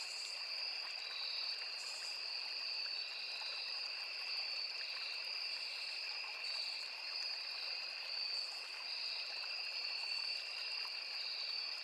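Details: Crickets with cicadas and other insects in a forest near a small river, sustaining a shrill, even double-pitched trill, punctuated by short higher buzzy pulses every few seconds, against a mild rushing of water.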